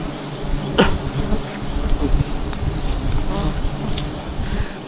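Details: Honey bees with honey water, a continuous deep droning buzz with faint layered bands above it, steady in loudness, plus an occasional brief tap.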